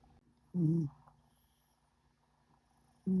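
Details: Cat snoring in deep, secure sleep: a short, low, nasal rumbling snore, a quiet pause of over two seconds, then the next snore beginning.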